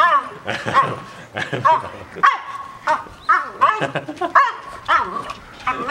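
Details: Two pet French Bulldogs at home, vying for attention when a favourite younger brother visits, give repeated short arched whining and grumbling cries, rising then falling, about every half second, mixed with human voices.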